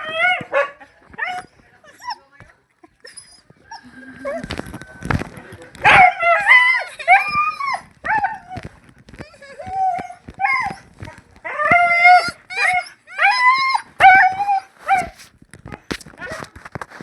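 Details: Dog; howl; greeting its owner returning home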